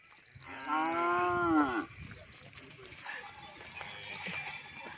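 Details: Cattle among many taking part in the Jendral Muda event, a Pakar Sakera gathering in Pamekasan: one loud moo lasting just over a second, swelling then sliding downward at the end, followed by crowd chatter and general background noise.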